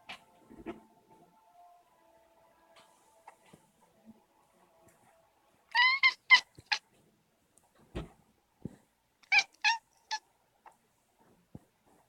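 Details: Male pet cat indoors, worked up by a moving light reflection on the wall, making odd chirping meows: two quick bursts of three or four sharp, clipped chirps, separated by quiet stretches with a few soft knocks.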